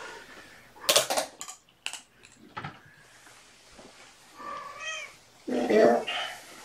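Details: Domestic cat family indoors at afternoon play time, a mother cat with five kittens born on April 14th: knocks and clicks early on, then two short harmonic mews near the end, with soft room noise and faint talk.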